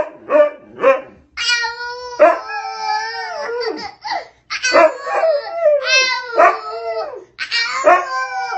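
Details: Dog howling in response to a child's howling; long wavering harmonic howls, some rising then falling, overlapping with higher child howls, with short yelping bursts at the start and repeated swells through the clip.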